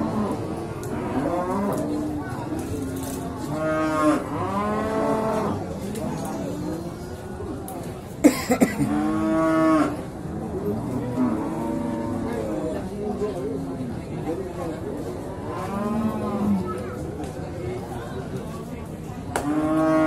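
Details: Male beef cattle crowded at Singkil market in Boyolali, Indonesia, 6 July 2019; a near-continuous chorus of lowing, with many animals mooing in overlapping, drawn-out calls and a brief clatter midway.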